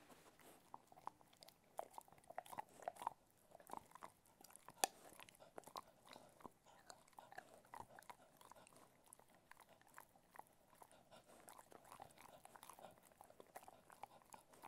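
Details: Ted, a Cocker Spaniel, crunches and chews different kinds of food, with sharp, irregular bites in a quiet room.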